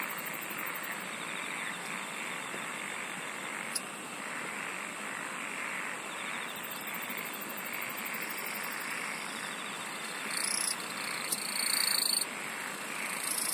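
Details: Continuous insect singing forms an even, high-pitched drone, with rapid ticking pulses at the top of the range that swell louder toward the end.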